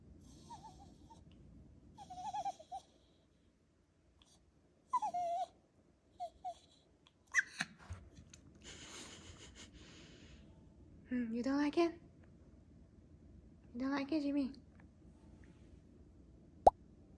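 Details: A Shiba Inu gives short whiny yelps and drawn-out wavering moans amid soft human talk as its owner tries to pluck its fur.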